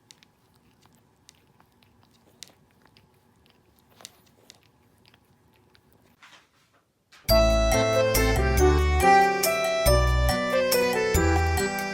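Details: Faint clicks and soft handling noises in a quiet room for about seven seconds, then loud keyboard music with bright repeated chords for the rest.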